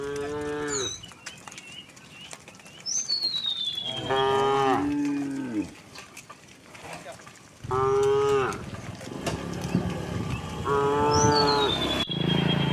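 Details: Dozens of tame cows walking on a quiet country road through green countryside: four deep moos, some short and some drawn out, with clear descending bird whistles between them.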